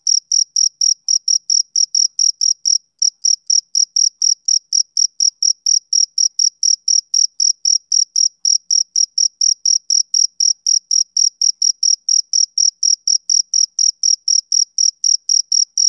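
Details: Rhythmic high-pitched chirps from a male cricket on a summer evening, a fast unbroken series interrupted by one brief pause early on, then continuing evenly with no other noise.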